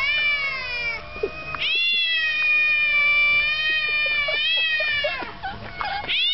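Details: Loud, harmonically rich caterwauling from quarrelling cats, long sustained wails broken by sharp upward swoops and brief stutters, the yowls trading back and forth with barely a pause.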